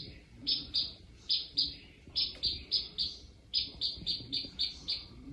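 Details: A small gecko, Lucasium (Diplodactylus) nebulosus, calling at night in a reptile room, gives bright, high canary-like chirps in quick runs of two to six, with short pauses between bursts; faint room hum underneath.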